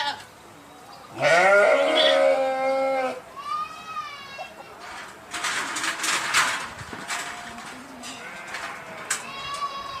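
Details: One loud, drawn-out sheep baa lasting about two seconds that rises at the start. Fainter bleats and rustling background noise follow.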